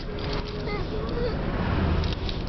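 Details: Buckley, a one-year-old Boston Terrier/Boxer mix, cries in a car on realizing he is minutes from grandma's house: a thin, high, drawn-out whine that bends upward, over steady road rumble.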